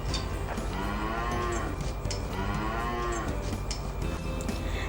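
A cow gives two drawn-out, low moos about two seconds apart. Each swells and then falls away over a steady background hum.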